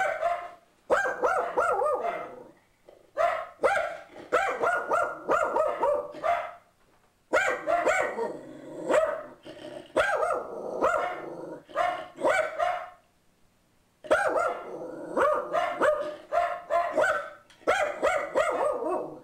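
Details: Pug mix Boo Radley, perched on a bench, keeps up a long barrage of sharp, yappy barks as an ad man arrives at the door, grouped into volleys of quick barks with brief gaps between them.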